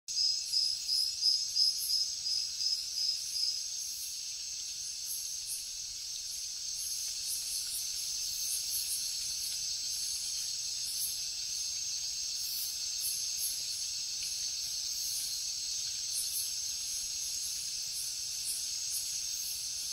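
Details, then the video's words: Crickets chirping at night in the jungle: a quick run of bright, evenly spaced chirps at first, then a steady high-pitched ringing trill with faint pulsing buzzes above it from other insects. "Cricket sounds |Jungle night"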